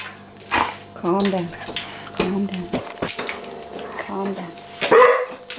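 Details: Vizsla puppy named April, indoors at home with the household cat Maggie, gives repeated high, wavering whine-like calls about once a second, while a person keeps speaking firmly over her and a steady low hum runs beneath.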